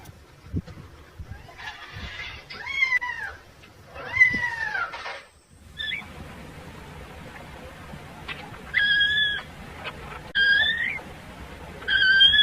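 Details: Kitten calling for its mother while among farm animals: two drawn-out, arching meows early on, then a series of shorter, high, flat cries near the end, over a low rumbling background.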